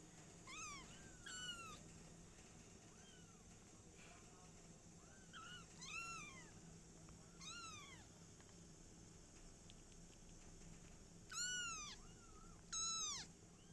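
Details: Kittens of the caring mother cat Silky, indoors, crying in clear high arched mews with rich overtones, singly and in quick pairs every second or two, over a constant low electrical hum.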